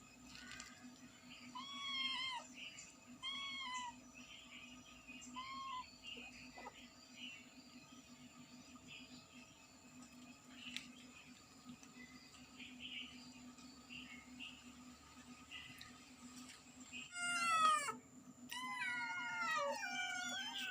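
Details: A cat and kittens meowing loudly: soft, repeated high kitten mews, rising then falling, at scattered intervals over a steady low electrical hum. A burst of louder, overlapping meows comes near the end.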